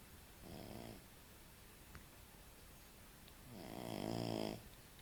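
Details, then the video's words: Kora, a French Bulldog about six months old, sleeps deeply and snores: a short rasping inhalation, a pause of nearly three seconds, then a longer, louder buzzing snore with stacked harmonics. "bulldog frances roncando"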